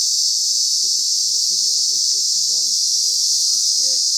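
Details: Thousands of cicadas in Lokobe Reserve on Nosy Be, Madagascar, make a loud, unbroken, high-pitched buzzing drone throughout, with a man's voice speaking softly underneath.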